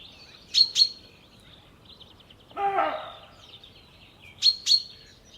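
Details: An alarmed roe deer buck gives a single hoarse, rasping, dog-like bark among high, sharp bird chirps, recorded in the evening at Jantar, Poland.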